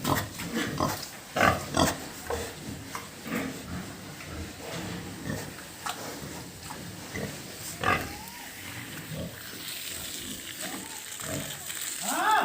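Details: Pigs at a pig farm, grunting in short broadband bursts, strongest in the first two seconds, with scattered squeals and rustling between calls.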